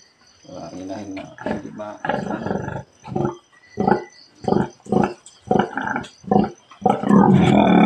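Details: Farrowing sow, fourth of the year in the piggery, March 18, 2024: loud, deep, harmonic grunts repeated in a steady rapid series, rising to a harsher burst at the end, with a man talking in Tagalog.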